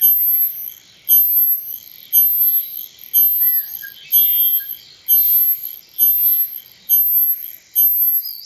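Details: A male cicada, sound made by its tymbal membranes, gives very high, hissing buzzes in regular bursts, each about half a second, about once a second.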